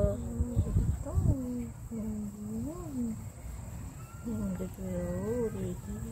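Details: Shih Tzu on an outing to Haneul Park, producing drawn-out whining moans that arch up and down in pitch, several bent tones in a row with a brief pause midway; steady outdoor hiss and low rumble underneath.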